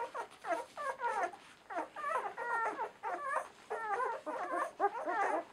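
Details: Ten-day-old German Shorthaired Pointer puppies of the Donau-Wirbeln M litter, from a kennel in Romania, whimpering and squealing indoors: overlapping high, wavering cries in quick bursts from several pups, with brief pauses between volleys.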